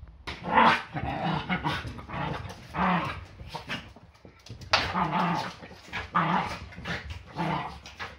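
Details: Yorkshire Terrier play-fighting on a Sunday morning, a daily fight before breakfast: rough growling bursts with short bark-like yaps in clusters, each lasting about a second, separated by brief quieter gaps, with snarly noise throughout.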